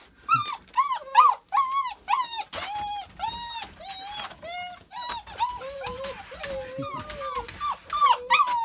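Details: Nine-week-old puppies recorded on 22 January 2018 give a rapid chorus of high, arching whines and yelps, about two per second, several voices overlapping with harmonic, slightly bent notes, and a few lower drawn-out whimpers between them.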